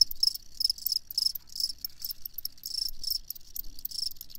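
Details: Field cricket producing clustered high-pitched chirps, groups of pulses a few tenths of a second apart with brief quiet gaps, over a near-silent background.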